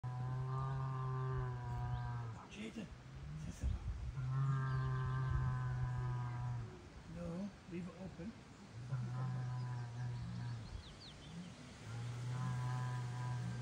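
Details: Big angry Angus bull bellowing on a farm, a deep steady low moan repeated four times, each a few seconds long with short gaps, while people talk quietly nearby.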